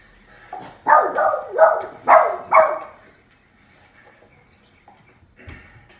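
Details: A Boston Terrier watching a movie, seemingly mourning a dog on screen, gives five quick, mournful whining cries, each sliding downward, about half a second apart.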